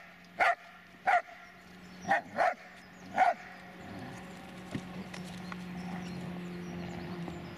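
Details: Dobermann Magmar Von Der Burgstätte lets out five sharp barks within about three seconds, two of them close together, then falls silent as a steady low hum and faint background noise continue.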